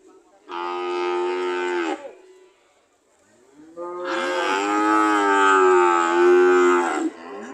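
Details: Cattle ready to leave give two loud moos, the first about a second and a half long, the second longer at nearly three and a half seconds, with a wavering, slightly rising pitch.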